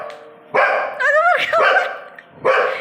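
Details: Female Labrador Retriever barking at her reflection, seeing herself in a mirror for the first time; loud broad barks with a rising whine-like yelp between, and people talking in Tamil in the background.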